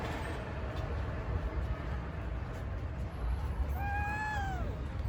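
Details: Homeless street cat with two different-coloured eyes that likes to spend time under a truck: a single drawn-out, arched meow near the end, after several seconds of steady low rumble.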